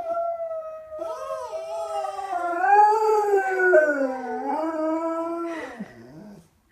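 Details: Diesel, a pet dog who howls at sirens and the ice cream man, howls in a duet with a young girl named Layla who imitates him; long wavering tones rising and falling, two voices overlapping, ending with a short drop.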